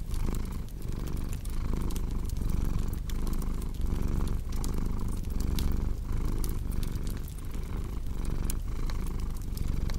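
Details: Purring cat: a continuous low, throaty rumble pulsing in breath-length cycles about every second, mixed with scattered crackles and snaps from a cozy fireplace.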